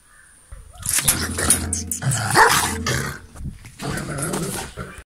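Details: Vicious watch dog at a house, caged during the day and loosed in a fenced yard at night, displaying its teeth to drive off intruders and guard territory: harsh snarling growls breaking into rough, rapid barks for about five seconds.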